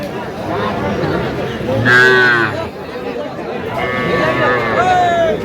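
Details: Sahiwal bull and heifer calves at a Faridpur cattle sale on 11 November 2025: one brief mid-pitched moo, later a fainter rising lowing, while men talk and haggle over prices nearby.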